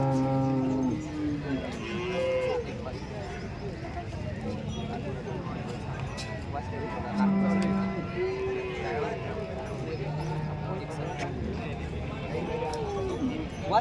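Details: Lowing cattle fill the busy Chalisgaon cow market on a Saturday, 23 March. Several overlapping moos rise and fall across the stretch, some long and wavering, others short, over a steady din of people talking and crowd noise.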